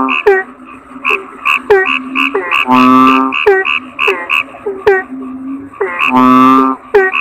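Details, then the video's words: Toad croaking: rasping, low calls repeat about three seconds apart, interleaved with busy, short, clicking chirps throughout. "Suara Kodok Bangkong"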